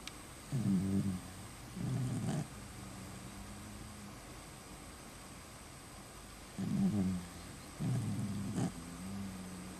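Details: Beagle sleeping soundly indoors, snoring in low, rasping pulses that come in pairs of short snores, each pair followed by a longer pause, over a steady background hiss.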